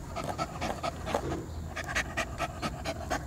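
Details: Poodle panting steadily, about two breaths per second, soft airy bursts repeated through the stretch while a person talks to it nearby.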